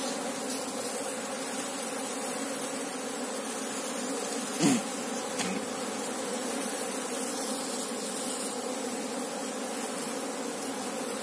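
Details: Asian honey bees, Apis cerana, in a hive opened to search for the queen: a steady, dense hum with layered low harmonic bands that holds throughout, broken once by a brief sharp knock near the middle.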